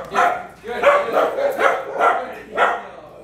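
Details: Steady run of five or six hoarse barks about half a second apart, heard near Waylon, a three-year-old Bulldog mix working through a private obedience session beside barking dogs; speech is mixed in.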